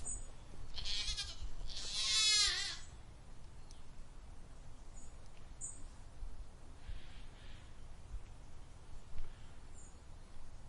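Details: Goat bleating, a wavering, quavering cry lasting about two seconds that rises and falls, with a shorter buzzy bleat just before it, then quiet background hiss and a faint distant call later.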